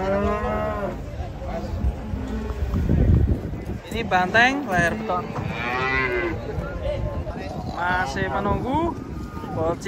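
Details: Cows coming down off a truck low and bellow in a busy stream of overlapping calls, some deep and drawn out, others higher and wavering, with a burst of rumbling clatter midway.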